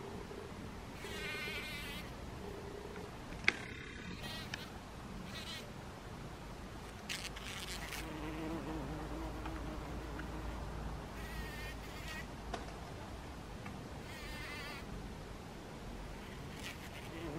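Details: A bee in a poppy flower buzzing in a low, steady hum that drops in pitch and rises again over several seconds, broken by brief crackling and rustling bursts.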